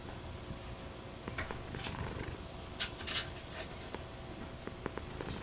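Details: Nene, a silver patched tabby American Shorthair cat, purring indoors: a steady low rumbling pulse throughout, with a few soft clicks and rustles on top.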